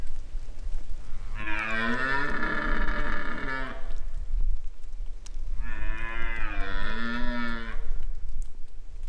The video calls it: Red Deer Stag Roaring